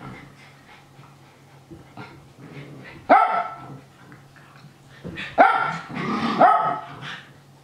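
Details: Japanese Spitz Nana barking happily while watching the young dogs Ruru, Miru and Meru play-fight, egging them on. Quiet huffs build to a sharp loud bark near three seconds, then a burst of excited barks; steady low indoor hum beneath.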